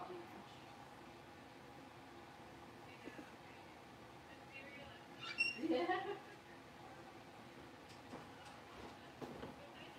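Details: One of five Blenheim Cavalier King Charles Spaniel puppies, born on New Year's, in their indoor pen after moving to a bigger space. A single sharply rising, squealing yelp stands out midway against quiet room noise and soft thumps.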